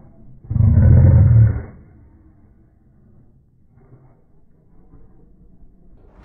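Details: A very big Asian mastiff dog gives a single deep, booming bark of about a second, low and roaring in tone, followed by quiet room noise.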